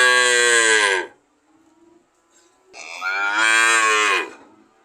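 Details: Mooing cow: a bellow that drops in pitch and stops, a brief soft murmur, then a rising, swelling moo lasting about a second and a half before trailing off.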